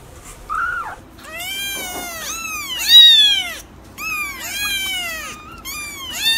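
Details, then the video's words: Several kittens mewing in quick succession, high thin arched cries overlapping one another, a short faint mew first and then a busy cluster of bright, rising-and-falling calls. "Kittens meow"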